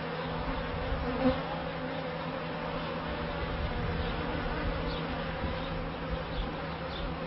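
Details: Continuous hum of honey bees at the first hives of a bee yard, recorded in 1994. The drone stays even throughout, with one short louder tick early on.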